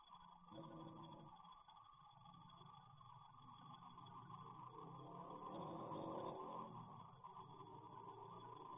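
An English bulldog snores loudly, a steady rough rumbling with a low buzzing rasp.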